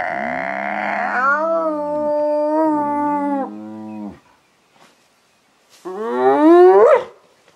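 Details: Spotted hyenas squabbling over an impala carcass: loud, sustained, tonal wails holding steady pitch for about three seconds, a pause, then a sharply rising squealing yell near the end.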